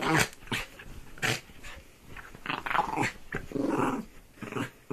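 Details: Indoors, a dog mauling a duvet makes gruff, breathy growls and snuffles in quick irregular bursts, some rougher and longer near the middle, in a small room.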